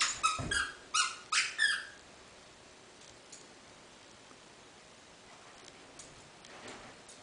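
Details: Nine, a dog said to run and play like a cat and howl like a beluga whale, gives four short, squeaky, high-pitched howling notes in quick succession in the first two seconds; only quiet room noise follows.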